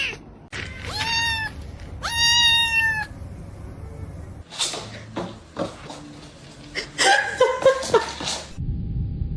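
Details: Snowstorm cat meowing twice in quick succession, loud, long, steady-pitched cries, followed by scattered thumps, rustling and a softer, wavering mew amid background noise.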